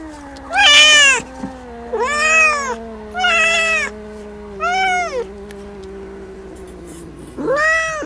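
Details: Playing kittens meowing: five rising-falling harmonic meows spaced about 1.5 seconds apart over a faint steady background hum.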